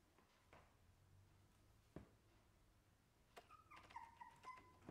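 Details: Shiba Inu puppy whimpering briefly near the end: a few soft, thin, high whining tones with a faint overtone, following several seconds of quiet indoor hum broken by scattered clicks and knocks.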